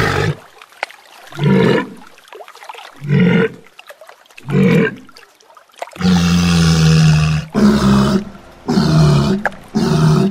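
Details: A walrus (Odobenus rosmarus) bellows: deep, harmonic grunting roars, then longer rasping bellows in quick succession.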